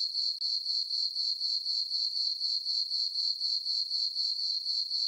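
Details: High, steady cricket chirps fill a summer night on a farm meadow beneath a full moon, pulsing quickly at about four per second after a brief break at the very start, with no other sounds.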